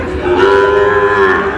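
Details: Sahiwal bull calf at a Monday livestock market near Dhaka, Bangladesh, giving a single sustained moo, a steady drawn-out tonal low with a slight wavering, amid faint market background.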